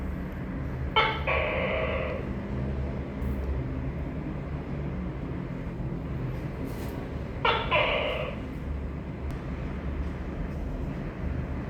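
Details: Tokay gecko giving two separate two-part calls about six seconds apart, each a short sharp onset followed by a longer nasal, harmonic note, over a steady low rumbling hum.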